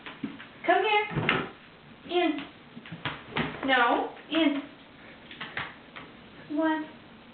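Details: Wolfie, a pet Siberian Husky, vocally resisting a bath in a small indoor room: a string of warbling, wavering woo-like moans rising and falling in pitch, broken by short pauses and mixed with a person's urging voice.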